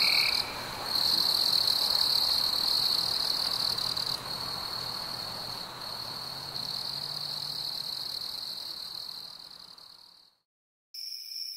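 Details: Crickets chirping on a warm summer evening among fireflies: a steady, high, continuous trill holds for about ten seconds, breaks into a brief silence, then resumes slightly higher in pitch.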